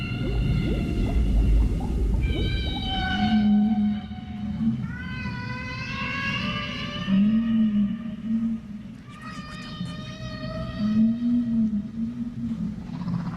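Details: Whale song from blue, humpback or black whales, sounds said to be used for communication, including during reproduction. Clear tonal moans sweep upward and downward in repeated phrases, with a low rumbling undertone and moaning pulses throughout.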